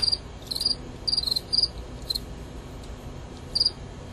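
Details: Two male Gryllus pennsylvanicus crickets fighting in a recorded contest. Short, high, pulsed chirps come in clusters, with about seven bursts across four seconds and quiet gaps between them. A faint low background hum runs underneath.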